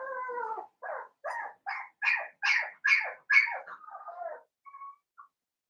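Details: Blenheim Cavalier King Charles Spaniel puppies, seven weeks old and penned at home, make a series of about nine high, nasal yelps roughly half a second apart after an opening whine, ending in two faint squeaks.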